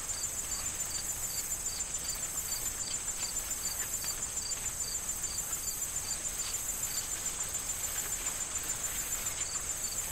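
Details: Fall crickets in a corn field: a long run of crisp, high chirps, repeated two to three times a second, above a sustained shrill trill. Light wind stirs the corn stalks in the background.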